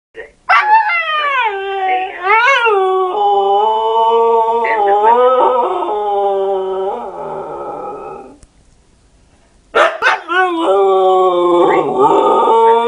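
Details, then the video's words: Domestic dog howling at an answering machine indoors: long, sustained, wavering howls with gliding pitch, a brief break near the middle, then renewed rising howls to the end. "Dog howls at answering machine"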